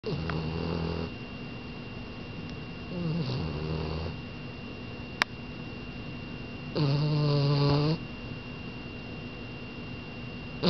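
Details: A sleeping French Bulldog snoring indoors: low rumbling breaths in separate bursts, a short one at the start, a softer one near three seconds and a louder, harsher snore around seven seconds, with quiet gaps between.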